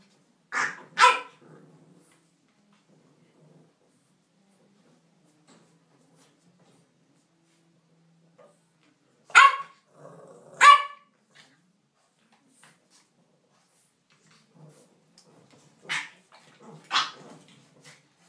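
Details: English bulldog puppies at play, giving sharp, high barks in quick doubled bursts, three clusters spaced several seconds apart with near silence between, in a quiet indoor setting.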